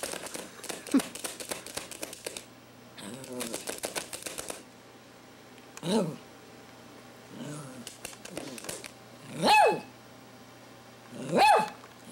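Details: Poodle puppy giving two short, high, arching yaps about two seconds apart near the end, after a stretch of rapid clicking or tapping and a few softer, muffled sounds indoors.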